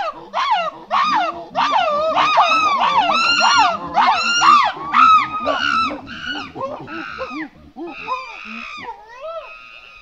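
A monkey gives a rapid series of squealing, arched calls, rising and falling in pitch.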